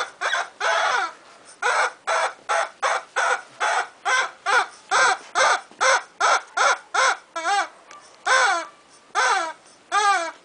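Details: A two-month-old Bull Terrier puppy gives shrill, rapid yaps, about one each second.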